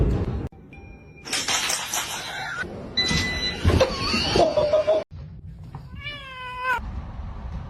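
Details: Domestic cat from a funny cat moments compilation: loud rough, noisy bursts over the first five seconds, then a clear drawn-out meow that slides downward in pitch before a sudden cutoff, with low background rumble throughout.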